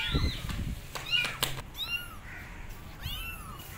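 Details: Abandoned kittens perched on a gate meow loudly, calling for their mother cat: high, arching cries, some short and some drawn out, come in quick bursts over a low background rumble.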